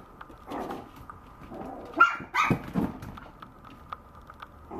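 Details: Maltese puppy giving a short cluster of sharp, high yapping barks near the middle, with softer scattered yips before and after against a quiet indoor background.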